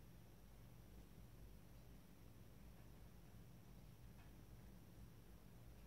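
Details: Two cats, the brothers Tigger and Toby, rest together in a cat bed, giving a continuous soft low-pitched throbbing purr that holds level throughout under a light background hiss.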